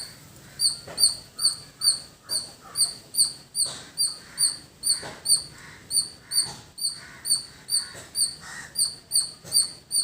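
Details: Squirrel in village surroundings calling persistently: piercing high chips, slightly faster than two per second, in an unbroken rhythmic series, with scattered lower bird chirps and faint clicks in the background.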